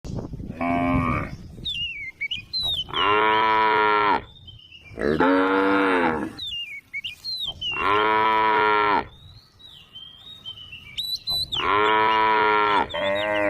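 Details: Tame cattle on a road calling to one another: long, rich harmonic moos of about one to two seconds, repeated five times with short gaps, some rising or bending in pitch, with faint higher chirping between them.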